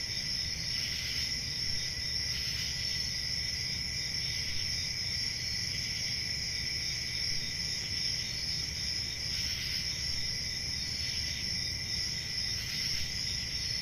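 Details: Crickets chirping on a peaceful country summer night in a forest: a steady, dense high-pitched trilling chorus in two bands, with faint swells every few seconds over a low rumbling background hum.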